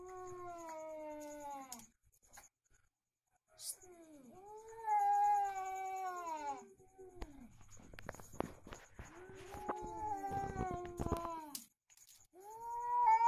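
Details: Cats locked in a fight yowl back and forth in loud, harmonic wails that bend up and down, several drawn-out cries following one another, with sharp clatters and scuffles between the calls.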